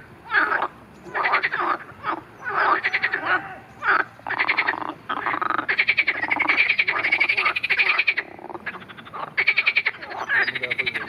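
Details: Chorus of marsh frogs, recorded with a grass snake attack described: long runs of rapid ratcheting pulses and laughing croaks, loud and continuous, many callers overlapping.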